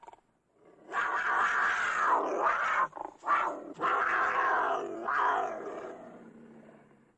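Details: A cougar roars and snarls in loud, raspy bursts, one long rough snarl interrupted by short choppy breaks, then another strong growl that gradually fades away.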